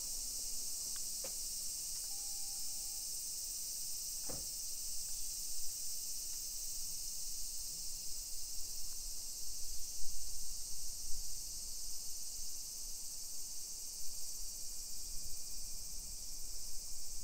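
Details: Cicadas sing in summer heat in a hillside residential area of Nisshin near Nagoya, Japan, 1 PM, 28 July 2021: constant high shimmering drone, with a short electronic beep and a sharp click early on, plus footstep-like low noise.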